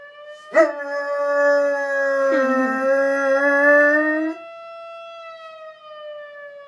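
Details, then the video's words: Ralph, a four-month-old dog never taught to howl, answers a ringing fire alarm with a long, sustained howl lasting about four seconds, opening with a sharp yelp, while the alarm's steady high tone drones on underneath and after. "Howl Ralph Howl"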